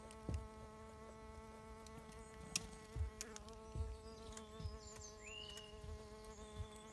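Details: A bee fly (Bombylius major) at work probing sand hums steadily, a smooth droning buzz with stacked overtones, broken by several soft low thumps and a faint rising chirp in the background.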